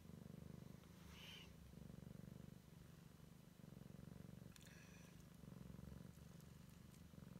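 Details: A Siamese kitten checks out its surroundings for the first time while purring in a low, pulsing drone of alternating breaths; a brief higher squeak near the start and a few soft taps.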